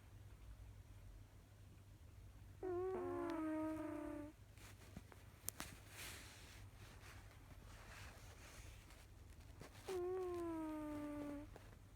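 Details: Kojiro the cat snoring indoors: two drawn-out, whistly nasal tones, each sliding gently downward for about one and a half seconds, spaced roughly seven seconds apart like slow breaths, over a steady low electrical hum.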